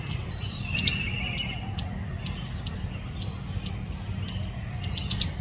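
A squirrel gives sharp, clicking chirps repeated several times a second over a low rumble.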